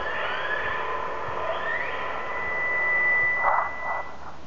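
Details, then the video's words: Orca calls picked up underwater by hydrophone from a whale watching boat, the MV Gikumi, out of Telegraph Cove, British Columbia: long tonal squealing whistles with rising sweeps, a steady high whine, then pulsed bursts near the end over low hiss. "The sounds of Orca underwater"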